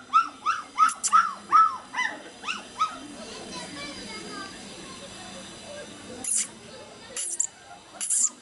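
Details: Black Labrador Retriever puppies in Madurai, Tamil Nadu, India, giving a run of high whining yelps that rise and fall quickly, about two or three per second, then fading into quieter murmuring with a few sharp clicks near the end.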